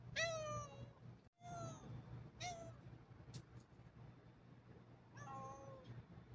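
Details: Black pet cat meowing indoors: three quick meows in the first two and a half seconds, the first falling, then a pause with small clicks and a final drawn-out meow, over a steady low hum.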